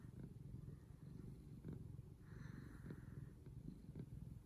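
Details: Domestic cat purring, one of a mother and her son compared: steady low rumbling purr with rhythmic pulses throughout, a faint soft higher murmur midway, quiet indoor background.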